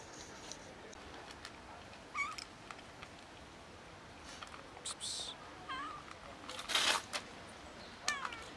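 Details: Cats from a neighborhood cat family, fed daily by locals yet short of food, give three short meows, each bending up then down, spaced a few seconds apart, amid soft clicks, rustling and a brief burst of noise.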